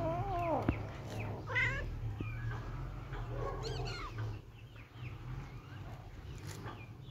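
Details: Playing kittens let out a few short, high mews early on, then quieter scattered squeaks and faint rustling over a low background hum.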